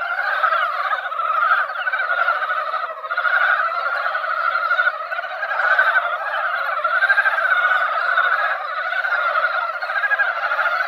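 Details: Mountain frogs crowding a once-quiet mountain pond after light rain, their yearly seasonal song forming a boiling chorus of grating croaks that swells and eases in waves every couple of seconds.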